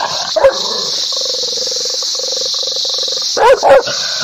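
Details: Dog gives a single bark, then a steady pulsing tonal hum runs through the middle, before two more sharp barks near the end over continuous background hiss.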